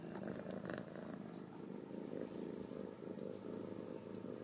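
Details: Well-socialized Ragdoll kittens, born and raised in a central Kansas home. A continuous low, throbbing purr pulses evenly through the whole stretch, with a few light knocks and rustles in the background.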